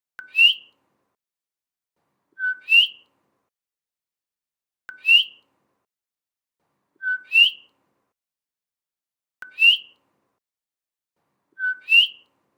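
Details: Coqui frog calling outdoors, tagged as Puerto Rico and Hawaii sounds: its two-note 'co-qui' call, a short low note then a rising whistle.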